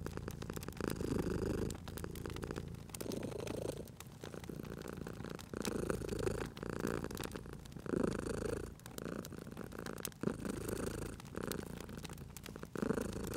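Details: Purring house cat near a crackling fire, rumbling in regular in-and-out pulses about every one and a half seconds, loud and close, with scattered sharp snaps from burning logs.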